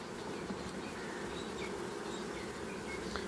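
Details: Honey bee colony during a beekeeper's hive inspection, a dense, steady humming drone that never breaks, layered with broad hiss across the whole recording.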